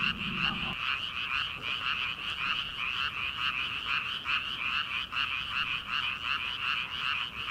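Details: Frog chorus from rice paddies at the start of summer, before rice transplanting. Overlapping croaks pulse rapidly and evenly, forming a thick, steady wall of sound, with a brief low thud at the very start.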